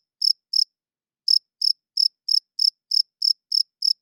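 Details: Cricket calling at night: two high chirps, a pause of about half a second, then a regular train of sharp pulsed chirps roughly every third of a second.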